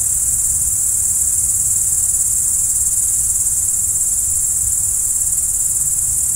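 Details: Crickets at night, a dense, unbroken high shrill trill that holds steady in pitch and volume throughout, with no other clear sounds.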